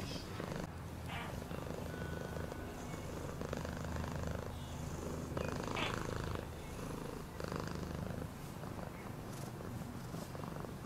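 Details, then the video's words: Cat purring in a low continuous rumble that rises and eases gently, while faint voice-like sounds and soft rustling drift in the background. "Cat purring sound for healing"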